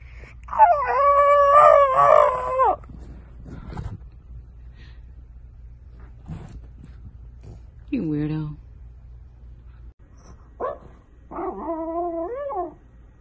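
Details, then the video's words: French Bulldog puppy howls in short wavering bursts: a long whine near the start, a low groan around eight seconds, then two brief rising whimpers, with quiet stretches and a low background hum between. "Funny and cute french bulldog puppies"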